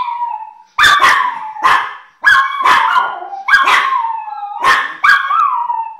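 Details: Several Chihuahuas of one family howling together, long quavering howls sliding downward between bursts of high yelps, the chorus pausing briefly then starting again roughly every second and a half.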